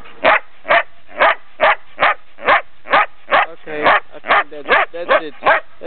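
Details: Female Belgian Shepherd close to ten months old, Brno, Czech Republic, March 2007, delivers a rapid series of some fourteen sharp barks about every 0.4 seconds, becoming more squeaky and yelping toward the end.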